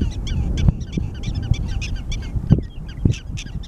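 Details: Prairie dogs at Theodore Roosevelt National Park give quick, high, chirping barks in rapid series over a steady low wind rumble.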